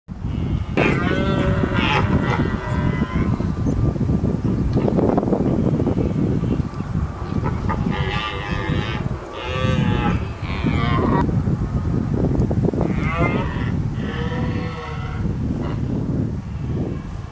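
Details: Wild deer in London's Richmond Park during the rutting (mating) season, many out in large numbers; repeated drawn-out, moo-like bellowing calls with wavering pitch come every one to two seconds over a steady low rumble of background noise.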